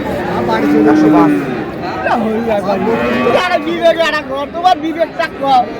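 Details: Cows with their calves at Ambari Haat, a livestock market in Dinajpur, recorded 1 May 2026: a low, steady moo opens the clip, then gives way to busy human voices and market bustle.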